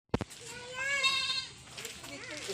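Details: A goat bleats while a child talks to it on a farm: one nasal, wavering bleat lasting about a second, then voices and faint rustling.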